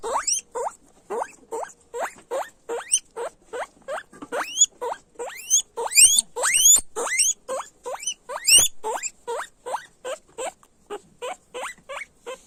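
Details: Guinea pigs squealing loudly in a long, steady train of short rising whistles, dozens of calls about three per second, with a few longer, shriller upward sweeps mixed in midway.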